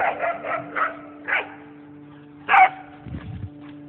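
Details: Whippets Nessie and Winston romp through a game of tag in the yard; a string of short yelping barks comes in irregular bursts, one louder yip near the middle, then softer scuffling, over a constant low hum.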